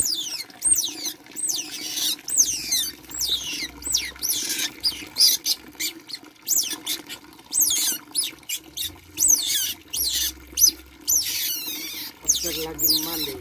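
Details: A baby otter at bath time gives a long run of shrill, downward-sweeping squeaks, sometimes in quick bursts, sometimes spaced apart, with faint low hum underneath.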